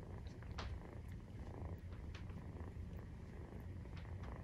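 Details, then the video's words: Purring of a Maine Coon cat at nursing time, kitten 43 days old; a continuous rumbling throb, dotted with small sharp clicks and light shuffling sounds. "授乳時のゴロゴロ 生後43日目【メインクーン動画】"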